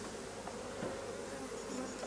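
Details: Honey bees at a hive where a drone-laying colony is being replaced; a continuous low droning hum holds steady and even throughout, with no other clear sounds.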